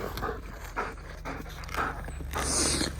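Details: Raya, a 1.5-year-old female German Shepherd obsessed with sticks, breathes in quick, breathy bursts of panting while playing tug with a stick, with soft rustling between breaths.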